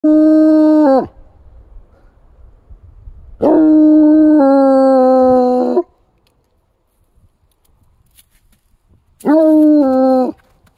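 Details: Bluetick Coonhound howling in snowy woods at a spot with many signs of deer activity; three long, steady, harmonic-rich howls, each slightly falling at the end, separated by quiet pauses.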